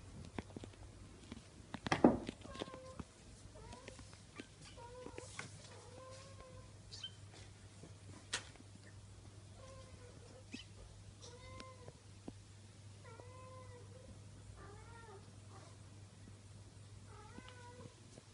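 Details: Bengal kitten at four weeks old, from a litter being litter trained, gives a long run of short, high, arched mews about once a second after a loud knock near the start, with a constant low hum underneath.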